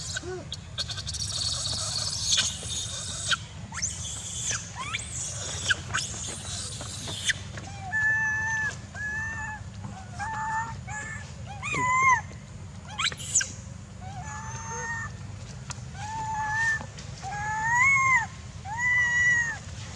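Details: Young monkey Jinx in the Angkor Archaeological Area near Siem Reap, Cambodia, crying and shouting near a stone while her mother weans her; repeated arched whining squeals, some rising, in bursts every second or two over a steady low hum.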